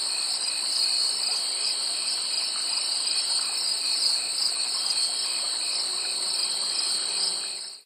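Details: Summer insects at a field just after sunset, a dense continuous chorus of high shrill trilling in several steady bands, unbroken for the whole stretch, with no other sounds standing out.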